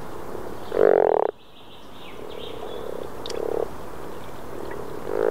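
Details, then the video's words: Rana temporaria, the Common frog, calling in Northern Sweden in April 2014: one loud close grunting croak, then quieter rattling croaks from further off, brief high click midway. "The Melodic Croak of the Common Frog (Rana temporaria) in Northern Sweden"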